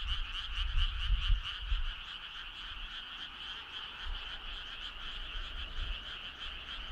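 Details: On a summer night a crowd of frogs keeps up a continuous pulsed trilling chorus, rhythmic and unbroken, while low thuds of handling or wind noise come through in the first two seconds and faintly later.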